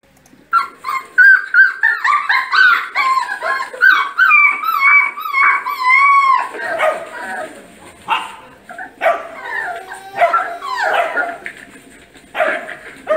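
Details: Dogs in a Brazilian compilation of funny dogs give wavering, strongly harmonic howls and yelps that rise and fall in pitch almost continuously for about twelve seconds, with a faint steady high whine beneath.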